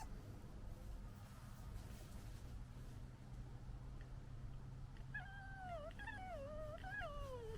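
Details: Red fox from the 2021 litter, young foxes fighting: a quiet hiss of background for five seconds, then a wavering, harmonic whine that dips and rises over the last two and a half seconds.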